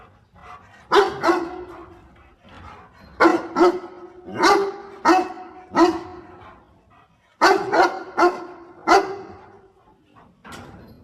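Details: Dog barking while helping its owner pick water spinach: loud, sharp barks in short bursts of two to four, with gaps between groups, about eleven barks across the stretch, each harmonic and mid-pitched with a ringing tone.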